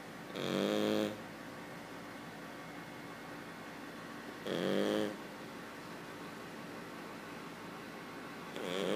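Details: Cavalier King Charles Spaniel puppy asleep and snoring, quieter than usual for it. Rough, rattling snores about a second long repeat roughly every four seconds, each with a low hum under a raspy buzz. Faint steady hiss fills the gaps.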